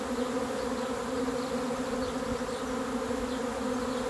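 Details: Honey bee swarm about to arrive, producing a continuous, even buzzing drone with layered harmonic hum; scattered soft bird chirps sound high above it.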